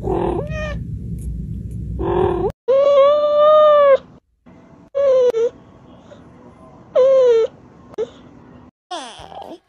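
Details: Domestic cat in a 2023 cute-cat compilation uttering several sustained, slightly bending meows in choppy, cut-together bursts with abrupt silences between them and a low hum in places.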